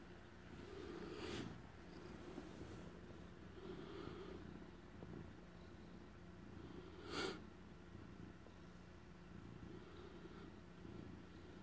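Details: Male house cat, a former stray that was adopted, purring while guarding a piece of stolen cheese indoors; low steady rumble swelling in soft breathing pulses about every one to two seconds, with a brief sharp click near the middle.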